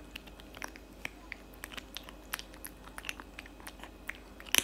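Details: Cat eating cat food indoors, loud crunchy chewing: quick sharp bites and crackles come several times a second against a quiet room background, with a louder crunch at the end.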